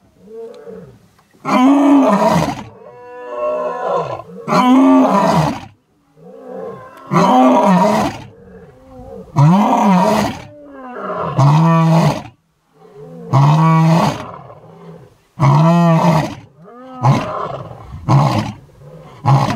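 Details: A lion in the Masai Mara, Kenya, gives a bout of deep, rasping roars, one every two to three seconds.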